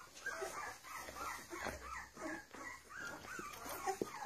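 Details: Litter of fifteen-day-old domestic puppies from Charlotte and Mayley whimpering and squealing together, short rising-falling whiny cries repeated rapidly in a dense chorus, with light shuffling noise.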